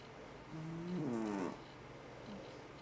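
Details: One long snore from FatCat, a sleeping house cat, rising into a tonal, rattling breath that swells and then fades, with low room hum beneath.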